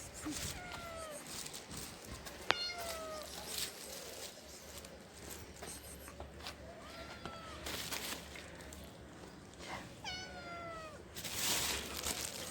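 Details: Hungry stray kitten living on the street, wanting food: several clear meows, each a falling, harmonic-rich cry, spaced a few seconds apart, with steady low street noise behind.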